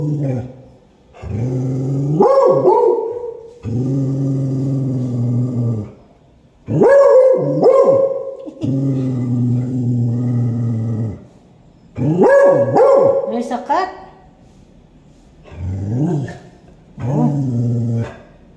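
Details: A beagle barking at a black cat gives long, drawn-out baying barks, each starting low and gruff before rising into a higher wail.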